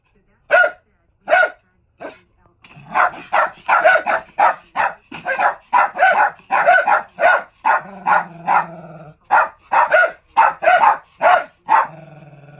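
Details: Two Lakeland Terriers barking inside a mobile kennel. A few spaced barks build into a dense, rapid volley of overlapping barks, with a low hum underneath and a possible voice in the background.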